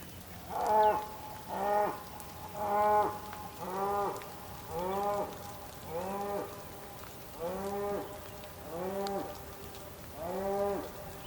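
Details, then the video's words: Bull in the open Patagonian plain, Tierra del Fuego, Argentina, during rain: a series of about ten short, hoarse moos, roughly one per second, fading slightly in strength, over soft rain. "Some bulls calls in the patagonian plain, during a rainy day in Tierra"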